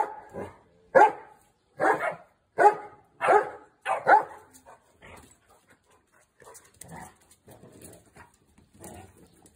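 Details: Two Boerboels named Bella and Jesse having fun at play, giving a run of loud deep barks about every half second, then quieter grumbling growls and huffs trailing off.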